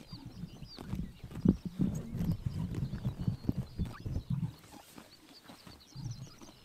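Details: Horses biting grass in the morning sun during summer in Mongolia: a dense, rapid run of low, crunchy tearing and chewing bursts that thins out after about five seconds, with faint high chirps in the background.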